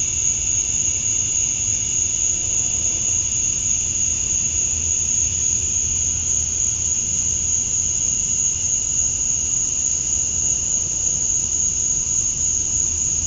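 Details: Steady shrill of male cicadas attracting females outdoors at summer dusk in Georgia, USA. A high, sustained buzzing tone runs unbroken from start to end over a faint low rumble.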